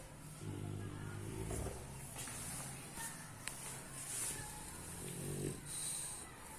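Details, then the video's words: Sleeping bulldog snoring: a low, rattling, droning snore lasting over a second near the start, then a shorter one about four seconds later, over a steady background hiss. "Bulldog Snore"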